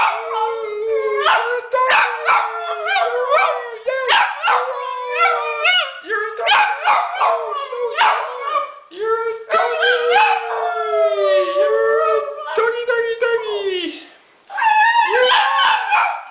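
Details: Hunter, a pet Italian Greyhound, sings in long wavering howls that rise and fall, mixed with a person's voice coaxing him on and talking over the sustained tones.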